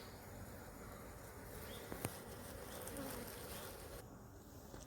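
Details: Honey bees from a tree-fallen, broken hive as comb sections are smoked, cut and set in place: continuous low droning buzz of the colony, a brief sharp knock near two seconds, faint handling sounds.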